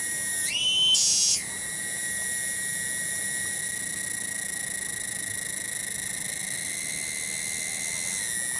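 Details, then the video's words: A single cicada singing in a village garden at Kampung Bunder, Cibening, Bungursari, Indonesia: a brief rising surge to a higher buzzy pitch near the start, then a steady, shrill, continuous whine. "SORA TONGGERET DI KEBON"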